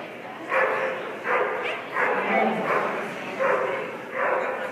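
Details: Border Collie at a dog agility trial in Yadkinville, North Carolina, barking in about six short, sharp bursts spaced under a second apart, with a steady murmur of background voices and crowd noise.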